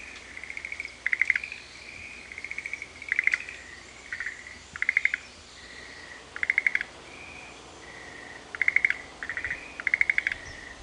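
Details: In Sanzen-in temple's Shuhekien Japanese garden, Ohara, Kyoto, frogs call in alternation. Brief rattling pulse bursts mix with longer clear whistled tones at roughly the same pitch, spaced about one to two seconds apart.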